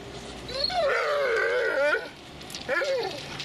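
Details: Dobermann Magmar Von Der Burgstätte gives a drawn-out, wavering whine lasting over a second, sliding up and down in pitch, then a shorter rising yelp about a second later against a quiet background.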